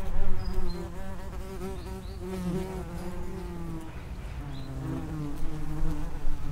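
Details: Common wasps, Vespula vulgaris, at the entrance of an underground nest, several insects droning together in overlapping low buzzes with stacked harmonics, pitches sliding up and down as individuals arrive and leave.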